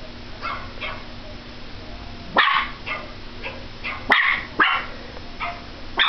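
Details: Small Pomeranian dog yapping at a computer, a run of softer barks building to several loud, shrill ones near the end, with a constant low hum in the room.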